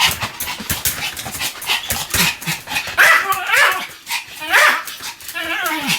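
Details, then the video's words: Sam, a pet Pomeranian, barking continuously: a muffled, noisy first half with voice-like sounds, then three clear high yapping barks in the last three seconds. "犬の鳴き声 ポメラニアン サムちゃんの連続吠え集"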